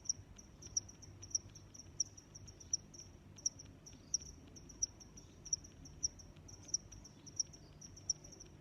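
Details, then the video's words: Repeated cricket chirping, high thin pulses ticking evenly about every two thirds of a second for the whole stretch, layered on a faint ongoing trill with quiet low-pitched ambient noise. "Sounds of Crickets"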